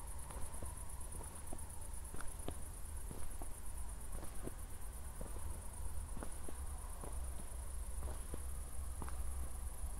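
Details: Crickets calling at night near Zwettl, Austria, just after a thunderstorm, city lights in the distance: a steady, very high pulsing trill runs unbroken throughout, over crunching footsteps and a low rumble.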